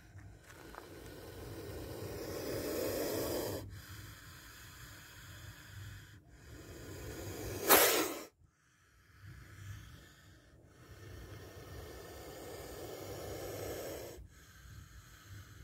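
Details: A defensive spectacled cobra hisses while striking on camera. Soft rasping exhalations come in bursts a few seconds long, broken by a sudden loud sharp noise near the middle, followed by further quiet hisses.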